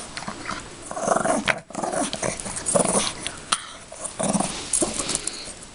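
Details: Playing with a toy bunny, a Yorkshire Terrier makes scattered low, rough growls amid rustling and soft thumps, with short breaks and no steady rhythm.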